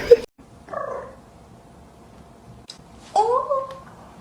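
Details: 0.7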